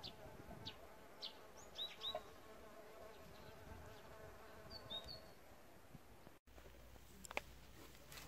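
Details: Insect hotel visited by bees, a faint continuous buzzing hum under short whistled bird chirps, with a brief dropout and a sharper click near the end.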